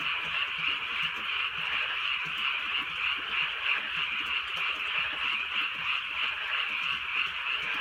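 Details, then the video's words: Frogs in full chorus during a drizzly countryside night, overlapping croaks creating a continuous high, pulsing buzz, rapid rhythmic beats within the mass of calls, faint raindrops below. "개구리 소리"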